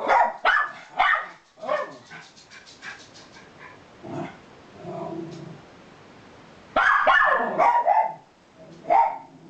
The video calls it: Miniature Schnauzer Barking Sounds